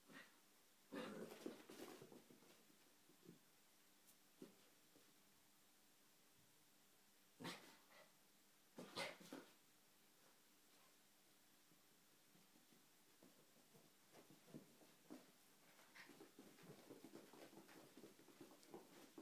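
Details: A female Yorkshire Terrier, going wild indoors, gives a few sharp, scattered barks amid quieter whines and snuffling.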